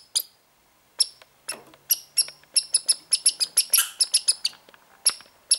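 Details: Young American red squirrel, born this year, acting strangely; scattered sharp high chirps that build into a quick even series of about four per second, then trail off to single notes, with faint low hum.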